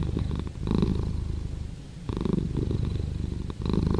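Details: Low, throbbing purr from a cat, loud and close. It has two strong swells separated by a softer, quieter stretch in the middle, following inhale and exhale.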